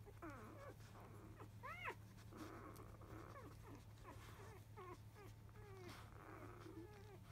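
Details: Five-day-old field-type Labrador Retriever puppies, born to the champion dam biscuit, heard just after 1 pm following nursing: thin, high squeaky whimpers and squeals that arch up and fall, repeated in quick succession over a steady low hum.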